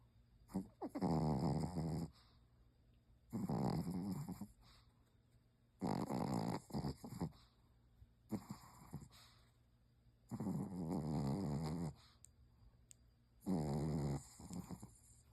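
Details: Loud snores from a sleeping Pomeranian: rough, buzzing inhalations of one to two seconds, roughly every two to three seconds, with short snorts in between and a quiet room behind.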